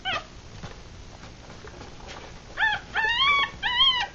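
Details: Three-day-old Rat Terrier–Chihuahua cross puppies with closed eyes, feeding; faint scattered squeaks and shuffling at first, then three louder arched whining cries in the last second and a half.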